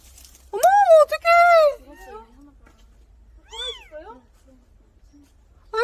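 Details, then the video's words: Kittens crying desperately to survive: loud, harmonic, wavering meows, two close together early, then softer falling mews and another rising-falling cry, with quiet gaps between. "살기 위해 죽을힘을 다해 울부짖는 새끼 고양이들"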